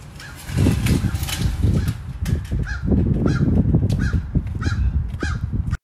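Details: Pet fox giving a loud run of hoarse, throaty calls, rough bursts repeated roughly twice a second for about five seconds, mostly low-pitched with a raspy edge, then stopping abruptly.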